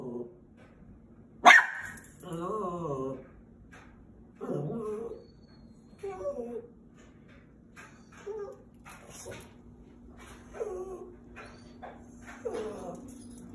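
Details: Half Chihuahua, half Terrier pet dog barking at squirrels: short, sharp harmonic barks in irregular bursts roughly every one to two seconds, with one loud yelp-like bark early on and a steady low hum underneath.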